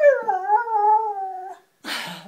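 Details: Dog greeting its family with a howl meant as hello, indoors; a drawn-out wavering howl lasting about a second and a half, sliding slightly up then down, followed by a short noisy burst.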